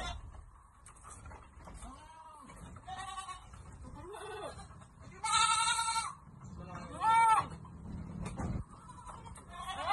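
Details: Goats at Amang Victorio Goat farm while being given vitamins: faint wavering cries early on, then two loud, harsh, quavering bleats rich in overtones, with human voices and handling noises throughout.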